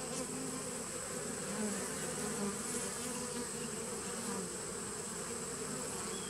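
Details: Steady droning of honey bees in a 2017 nuc, 19 September 2018; dense low buzzing with a few slightly louder wavering notes and a continuous high-pitched whine in the background.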